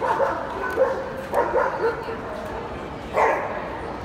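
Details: Young male Gordon Setter puppy at the FEHOVA show on 17 February 2017, giving short sharp barks near 0.8, 1.4 and 3.2 seconds over a steady hall hubbub of crowd chatter.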